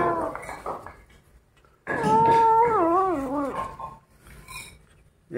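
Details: Indoors, kittens eating a rat turn angry when disturbed: after softer murmuring and a pause, a sudden loud wavering growl-moan undulates down in pitch for nearly two seconds, then quieter rustling follows.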